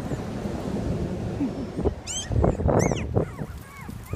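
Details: A litter of Toy Australian Shepherd puppies gives a few thin, high, squealing whines that rise and fall, clustered around the middle, over a low rumbling background.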